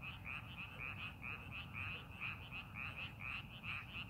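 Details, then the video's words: In a rice field under preparation for planting, many frogs produce a continuous run of short, ringing croaks, closely spaced and overlapping, over a faint low hum. "농사준비하는 논에서 개구리 울음소리"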